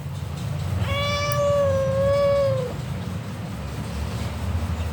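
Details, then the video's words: Replying in conversation with a person, a domestic cat makes one sustained, level meow of almost two seconds with rich harmonics. It starts abruptly and fades at the end, over a low rumbling background. "Cute Conversation With A Responsive Mufasa-The Cat King"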